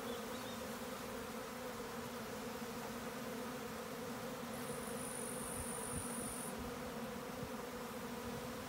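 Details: Honey bee swarm droning steadily, a low layered hum of many insects, while a thin, high, steady whine sounds briefly in the middle before fading.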